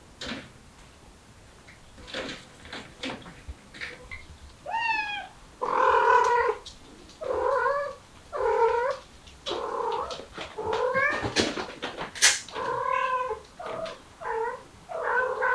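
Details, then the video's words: Mother cat with kittens trying to escape through a window; a steady run of clear, repeated meows, each a short harmonic wail with a bending pitch, coming roughly every second. "새끼 데리고 창문으로 탈출 하려는 어미 고양이"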